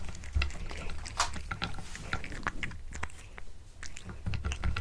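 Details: A pet cat eats a tuna mini stick indoors, close up; crunchy biting and wet chewing clicks arrive in irregular bursts, with soft low thumps beneath.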